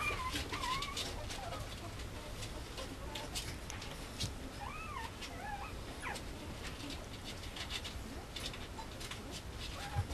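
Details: Male Mame Shiba puppy at a breeder, producing several wavering, nasal whines that rise and fall, spread through the first six seconds over a steady background hiss with soft knocks.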